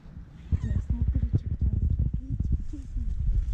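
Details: Calico stray cat on an Istanbul street purring loudly for affection while another cat eats nearby; low rumbling purr in rapid pulses, with faint voices and soft outdoor background.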